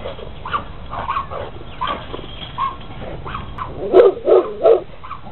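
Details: A big Rottweiler in a red studded collar runs in circles and back and forth, jumping on a fence. It barks in a deep, rough voice with softer yips and growls, ending with three loud barks about a third of a second apart.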